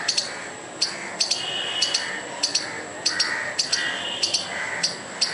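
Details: Angry squirrel calling to scare away a dog and a person, repeating harsh chipping notes, often in twos, about every half second, loud and rhythmic over faint ambient noise.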